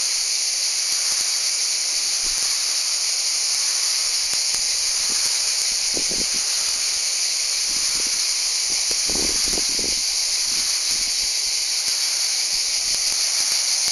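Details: Cicadas calling in Val Trebbia, Italy: a sustained piercing buzz that never breaks, while brief low rustles and thumps sound softly in the background midway.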